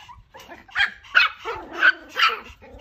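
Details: Puppies giving four short, high yipping barks spaced about half a second apart, each bright and slightly squeaky, with quiet gaps between.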